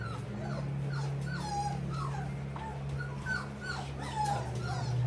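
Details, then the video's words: Litter of bullmastiff puppies indoors, heard with the dehumidifier switched off: many overlapping thin whines, squeaks and short yips, some rising then falling, others dropping, over a steady low mechanical hum from a fan. "we turned off the dehumidifier so you can hear the puppies"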